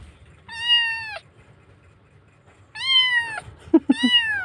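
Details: Kitten missing its mother, crying hard after rescue in Indonesia: three loud, high, drawn-out meows, each level then dropping at the end, the last two close together with soft thumps and bumps between them.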